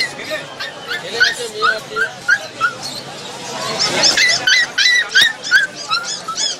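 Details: Rottweiler puppy at Galiff Street whining: high, thin yelps, some rising then falling, repeated about three times a second in quick bursts over a steady wash of background noise.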